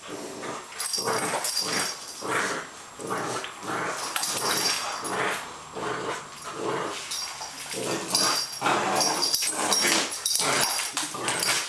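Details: Female Welsh Springer Spaniel playing with another dog on a wet day, 3 July 2012; rough, noisy growling bursts come in quick, uneven succession, roughly every second, with human voices mixed in.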